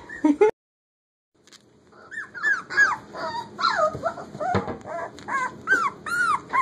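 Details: Puppies almost four weeks old playing in a kitchen: a short low squeak, a pause, then a run of high whining yelps and squeals, many sliding up and down, several pups overlapping.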